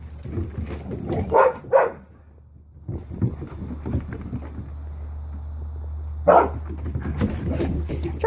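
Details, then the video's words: Two dogs, Finn and puppy Holly, playing together at Pawsitive dog daycare; a few short sharp barks near the start and another around six seconds, with a steady low hum and scuffling between. "Finn and puppy Holly playing at Pawsitive"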